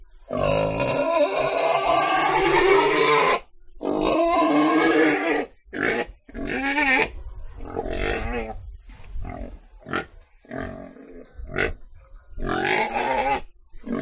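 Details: Pig letting out two long, harsh squeals, then a run of short, choppy grunts and brief squeaks in quick, irregular succession.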